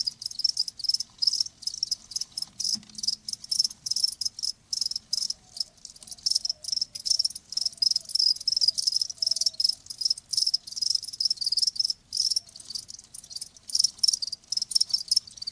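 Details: Crickets heard in a soothing nature recording meant to relieve tinnitus: a dense, rapid, high-pitched pulsing trill that runs almost continuously, with brief breaks and a faint low background murmur.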